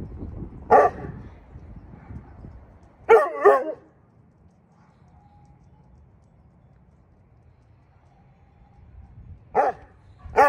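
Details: Vern, a Saint Bernard rescued from an abandoned house in North St Louis and now ill with bone cancer, calls to neighbourhood dogs. A lone bark is followed by a doubled bark, then a long quiet pause, then two final barks.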